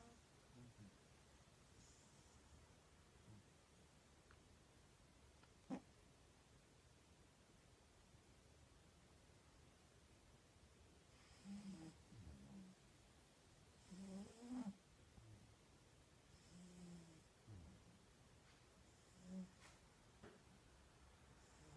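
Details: Cat snoring indoors: soft, rasping breaths come in short bursts roughly every two to three seconds through the second half, with quiet background hiss and an occasional click.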